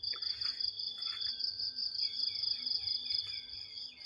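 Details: Crickets in the morning during heavy rain near a banana plantation: a continuous, shrill, high buzzing trill with a steadier tone just beneath it, and a few soft higher chirps in the first second.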